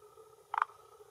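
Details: Male forest green tree frog calling with throat vocal sac at a hillside pond shore in Japan, late afternoon in early June, claiming territory and attracting females; one short burst of three quick, low, clucking pulses over quiet background.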